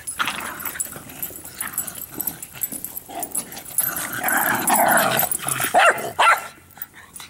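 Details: Playful barking from three dogs, Bix, Banjo and Button, romping over a Jolly Ball; growls swell into a dense, overlapping cluster of rapid barks and yips, then fall quiet in the final second.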